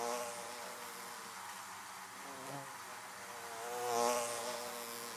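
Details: A steady hum of honey bees buzzing around beehives, a layered droning tone that holds even and then swells as a bee passes close near the end.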